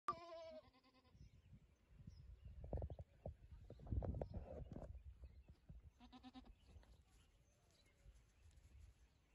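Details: Boer goat ewe giving a wavering, harmonic bleat at the start and another shorter bleat about six seconds later, with low rumbling handling and shuffling noise in between.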